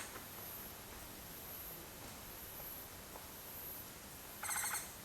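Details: Japanese giant flying squirrel at Mount Takao, Japan, recorded 19 August 2014, giving a single short, grating trill with rich harmonics near the end after a long stretch of faint background hiss.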